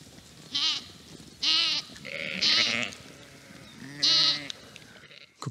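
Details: Mother Urmerino sheep in dry Portuguese pasture crying out nonstop for her missing lamb; four strong, vibrating bleats spaced about a second apart, one rougher and lower in the middle, with faint rustling between.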